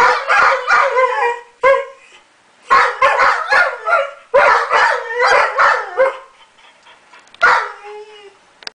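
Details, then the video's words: White German Shepherds howl together in wavering, mid-pitched bursts broken by short yips, set off by the blaring siren of a passing police car or fire engine. "White German Shepherds Singing"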